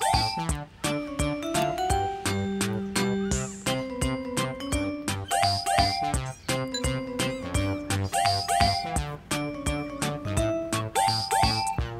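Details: A bright, tinkling children's tune with bell-like notes and a bouncy beat plays throughout, with no animal sound.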